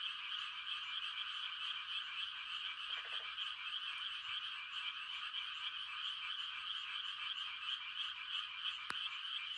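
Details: Frog chorus on a quiet country night in the rice-planting season, a dense unbroken wall of croaking and trilling calls from many frogs, with a brief lower croak near three seconds and a sharp click near the end.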